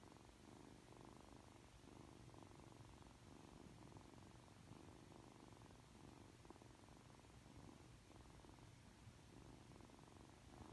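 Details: Freshly woken and cuddly, Aki, a three-month-old Ragdoll kitten, keeps up a low, throaty purr. The purr comes in regular breath-paced pulses, soft and close, with the room otherwise quiet.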